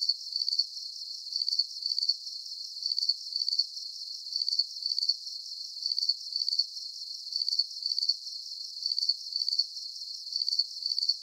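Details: Soothing cricket sounds for sleep: shrill chirps come in tight twin groups at an even tempo across the whole stretch, sharp and high with no low tones, wind or other animals.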